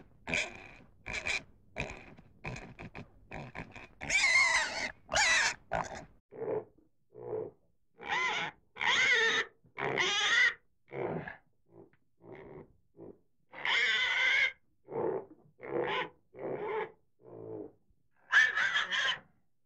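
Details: Series of rough pig grunts and short squeals, irregularly spaced, some quick clusters and some longer strained calls, fairly loud throughout with quiet gaps.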